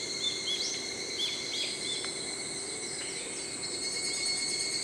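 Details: An evening cicada (higurashi), which sings in early morning and evening, gives a steady, high, ringing trill, with the high-pitched chirps of a brown-eared bulbul above it.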